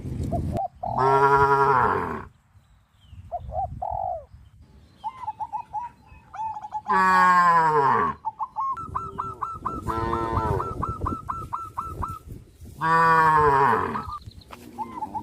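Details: Tame cows crowding around fields, running and jumping for joy: three long, low, rich moos spaced several seconds apart, with bursts of short repeated chirping calls filling the gaps between them.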